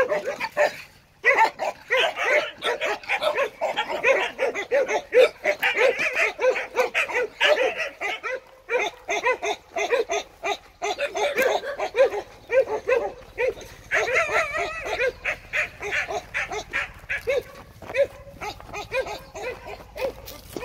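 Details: Long, almost unbroken stretch of dense, overlapping Jindo barking and yipping, busy and excited, with hardly any pauses over twenty seconds.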